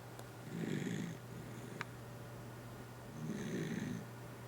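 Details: Dachshund named Kotaro snoring indoors: two rough, breathy snores roughly two and a half seconds apart, each a low rumbling rasp with faint higher hiss, a steady low electrical hum underneath and a brief click between them.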